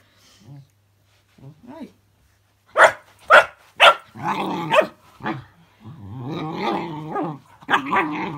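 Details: Puppy named Cookie facing a fidget spinner toy: soft sounds at first, then three loud sharp barks in quick succession, followed by drawn-out wavering growls and one more bark near the end.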